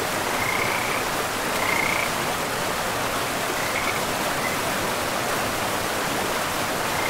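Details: Beside a forest river, a frog gives a few separate bright trilled calls, spaced a second or two apart, against loud, continuous rushing water.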